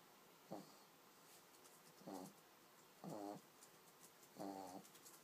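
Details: A sleeping pug puppy snoring: four short, harmonic, rasping breaths spaced about every second, in a quiet room.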